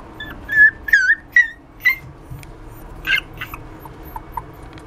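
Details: Miniature Dachshund puppy giving a short run of high, thin whimpers with rising-falling whines, four close together in the first two seconds, then softer squeaky yips and fainter whines fading out against a quiet indoor background.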